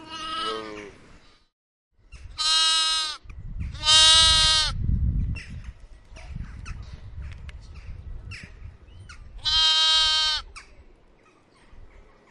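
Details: Lamb bleating: a faint short bleat at the start, then two loud, wavering bleats in quick succession and another after a pause of about five seconds, with soft rustling and low rumble between calls.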